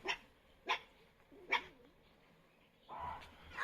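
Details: Dog at a forest ashram in the morning, with a leopard said to be nearby, barking toward where a barking deer is calling: three short sharp barks about 0.7 seconds apart, then rustling noise.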